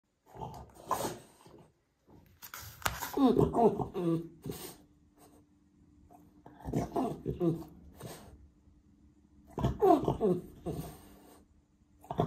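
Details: A male French Bulldog throws a tantrum because he can't get his toy indoors: three bursts of whiny, groaning, warbling vocalizations, each a second or two long, separated by quieter breathing, with a person speaking briefly.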